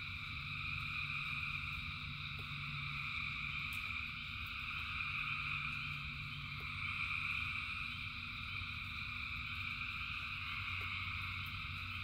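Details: A massed chorus of frogs in the rain, with overlapping trilled voices forming a steady high wall of sound. Low rain noise runs throughout, broken by occasional clicking drops.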